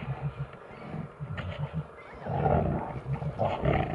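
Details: Brown bears fighting fiercely: deep, rumbling growls and pulsing low grunts building into loud, rough roars toward the end, with continuous scuffling noise.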